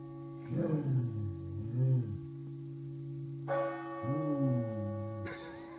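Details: A dog in County Meath howls along with the Angelus, giving long, wavering howls that rise and fall over steady pealing church bells.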